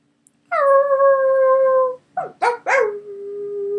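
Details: Three pet Scottish Terriers howling for the first time at home: one long steady howl with clear harmonics, then short yelping rising notes and a lower sustained tone.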